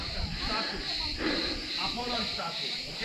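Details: Cicadas in trees keep up a steady, high, shimmering buzz that pulses slightly, with a man talking over it, on a hot summer day at second-century Hellenistic ruins on a hilltop near Manavgat, Turkey.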